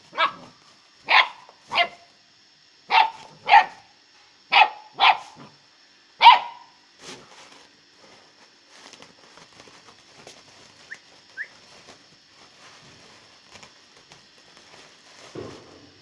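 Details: A one-month-old Great Dane puppy gives a run of sharp, high yapping barks, then falls quiet.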